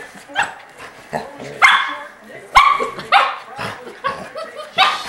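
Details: Puppy Breezy pesters the big Golden Retriever Ellie May until she hides her head. Sharp, high yipping barks burst out about four times, each with bright ringing overtones, while a person talks between them.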